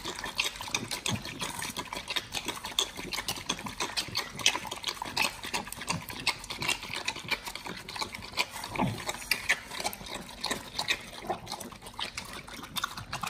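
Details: Close-up of raw-fed Pit Bulls crunching and tearing beef shank with liver and green tripe; crackling, bright bite clicks over soft squelches, ongoing throughout.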